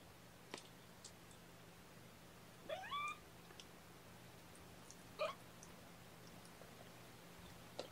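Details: Kitten mewing on the morning of 8 May 2018 while being bottle-fed formula by syringe indoors: two separate short, clear mews, the first bending upward then down, about two and a half seconds apart, over a quiet room hum.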